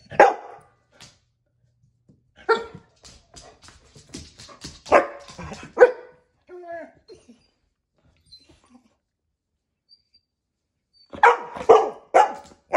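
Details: Dog barking indoors in short, harsh bursts, single barks and quick doubles scattered across the clip with quiet gaps between, a human voice briefly audible among them.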